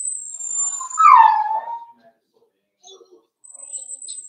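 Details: Four-week-old Cavalier King Charles Spaniel puppies indoors in their home puppy pen while being socialized with other dogs and offered puppy mash. A single drawn-out whine slides downward in pitch, with faint voices and a thin high steady tone around it.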